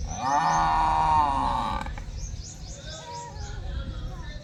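A buffalo gives a single deep, drawn-out moo, followed by faint chirping in the background.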